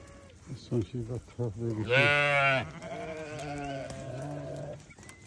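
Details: Newborn lamb giving one loud wavering bleat after a few short low murmurs, followed by a softer drawn-out call fading away.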